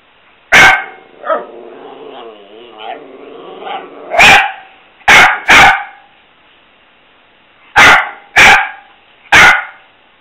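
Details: Play-time barking from Mia, a pet dog: seven sharp, loud barks spread across the recording, with a wavering, moaning 'talking' vocalization between the first and second barks.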